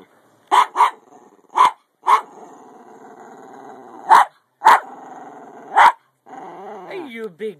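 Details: A small 10 lb Jack Russell Terrier, worked up by a playful "get you" game, lets out spaced single sharp barks, sometimes in pairs, and ends with a short wavering whine as a woman speaks softly under the barks.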